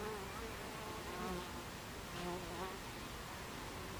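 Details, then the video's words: Buckfast bees crowd a beehive entrance at 14:30 on 26 July 2013, individual flyers buzzing past in quick wavering whines over a steady humming background of the colony. "Beehive Entrance Buckfast Bees"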